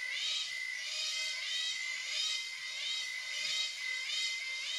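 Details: Cicadas in the jungle of Palawan, Philippines, buzz in the morning in high, shimmering waves that swell and fade about every second, over a steady thin tone.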